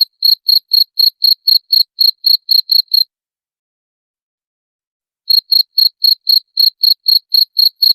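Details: Cricket chirping, offered as a sound to drive away rats: clean, steady high-pitched pulses about four per second for three seconds, a two-second silence, then the same even chirps resume. No other sounds.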